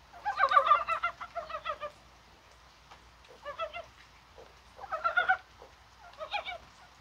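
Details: Dybowski's brown frogs calling on a rainy, spring-like 21 January, probably spawning; hoarse, wavering croaks come in short bursts of several notes, with quiet gaps between bursts.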